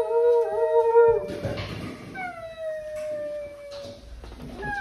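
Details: Weekend howling from basset hounds: a steady sustained note breaks into a rough noisy patch, then a smooth tone glides gently downward for about two seconds before another rising howl begins.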